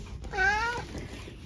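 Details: A senior tabby mix cat named Eric, a chatty family pet in the UK, answers with a single short, clear meow that rises slightly and ends abruptly over a low steady background hum.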